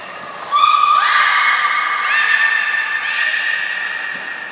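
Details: During an aquarium training session at Port of Nagoya Public Aquarium, 4 November 2018, a beluga gives a sustained whistle that holds one pitch, then jumps higher and stays level, with faint overtones and room echo.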